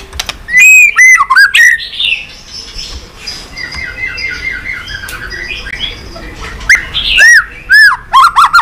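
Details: White-rumped shama song played to stimulate pet shamas: loud looping whistles and sharp clicks at start and end, with a softer jumbled chatter of notes in between.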